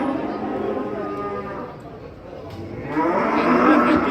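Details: Masked cow raging while being unloaded from a truck in Indonesia: drawn-out, harmonic lowing moos, quieter mid-clip then louder toward the end, with men talking in Indonesian nearby.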